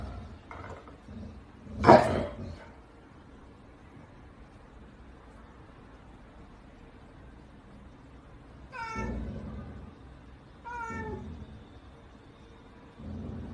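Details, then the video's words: Domestic cat, described as saying sorry, giving two short harmonic meows around nine and eleven seconds, each falling slightly in pitch, after a loud thump near the start; quiet indoor room otherwise. "Cat saying sorry"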